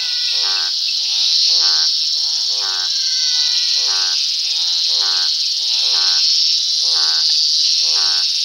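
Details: Croaking toads at dusk give a regular series of brief, rattling, pulsed croaks roughly every second, with fainter croaks from other toads in between, all above a constant high-pitched insect hum.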